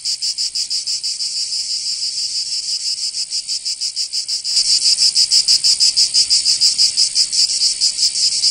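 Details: Cicadas of Provence, southern France, singing in summer: a rapidly pulsing high buzz that abruptly grows louder and fuller halfway through, then continues in quick even throbs.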